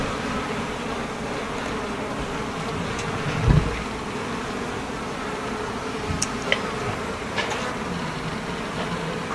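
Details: Steady buzzing hum of a Japanese honey bee colony in a stacked hive box, checked as a fifth tier with handles goes on, with a soft knock and a few faint clicks over the constant drone.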